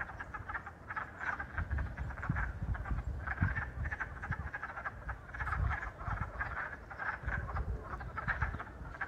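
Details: A chorus of wood frogs on the first day of spring 2022, giving rapid, duck-like clucking croaks that overlap without pause.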